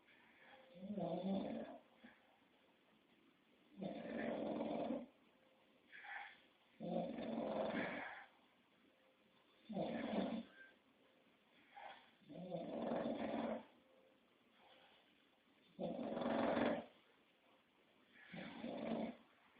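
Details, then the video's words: Rough, rattling snores from an English Bulldog, a run of about eight uneven breaths, some long and loud, others short snorts, mixed with soft whistling wheezes. "Bulldog Inglés ñoño Roncando"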